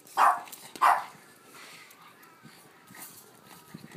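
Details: Excited Boston Terrier playing with a ball, giving two short high yips in quick succession, then rustling and small thuds of play.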